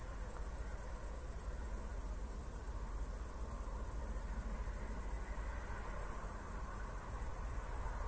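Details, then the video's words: After a recent thunderstorm in Zwettl, Austria, crickets keep up a continuous, high-pitched pulsing trill through the night, recorded in 24-bit stereo; no footsteps, only a faint low background rumble. "Cricket Sounds"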